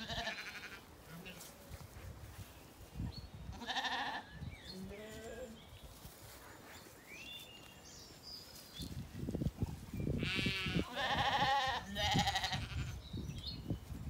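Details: Weaned Zwartbles lambs settled in an orchard on a County Kilkenny farm, Ireland, on an evening. Several bleats with stacked harmonics come in bursts, the loudest near the end, over rustling and chewing sounds, with faint bird chirps between.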